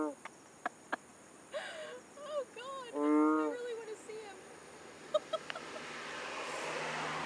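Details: Loud frog call from Borneo: one strong, droning, harmonic blast of about half a second, set among shorter rising and falling chirping notes, scattered clicks, and a growing hiss toward the end.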